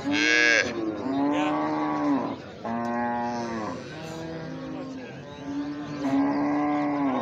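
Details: Baby cow, a calf, mooing in a series of steady, fairly high, nasal calls, each lasting about one to one and a half seconds with short gaps, five calls in seven seconds, after a brief loud sound at the start.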